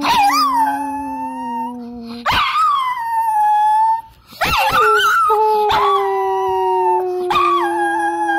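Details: Long dog howls layered as a deep steady drone beneath higher wailing notes that rise and dip, interrupted every couple of seconds by short yelping breaks and one brief pause.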